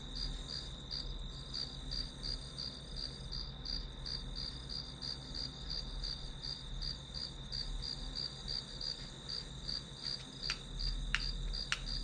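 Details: Grass insects keep up a rhythmic high chirping, about 160 pulses a minute, above a steady shrill tone and low hum; a few sharp clicks sound toward the end.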